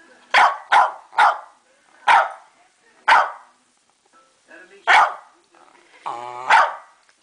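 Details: Pet West Highland White Terrier female demanding her dinner indoors, letting out a run of seven short, punchy barks, quick at first then spaced about a second apart, with a person talking faintly alongside.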